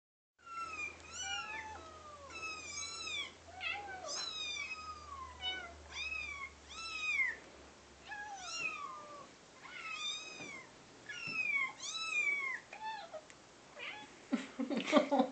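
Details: Two pet cats, Sally, a brown fluffy one, and Ashley, a gray one, indoors, concerned by kitten sounds played from a phone. Rapid, high, arching kitten mews alternate with the cats' own meows, repeated almost every second, with a louder burst at the end.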